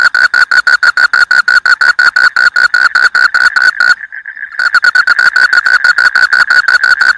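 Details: Rice-field frog giving rapid, evenly spaced clicking pulses at a bright mid pitch, nearly three per second, broken by a short silent gap before the pulses resume just as strongly.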